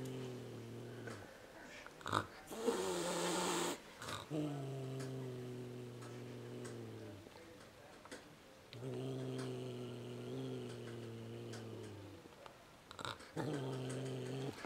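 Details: Nervous domestic cat grunting in long, low, rumbling growls with steady harmonic bands, each lasting several seconds, separated by brief pauses and a short noisy burst; a quieter second growl phase follows near the end.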